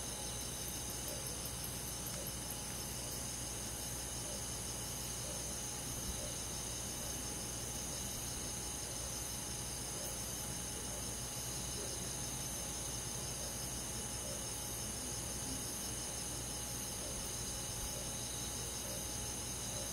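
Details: Summer-night insect chorus in a countryside forest, with crickets among the insects: an unbroken, even, high shimmering trill that holds steady throughout, over a soft hiss of background noise.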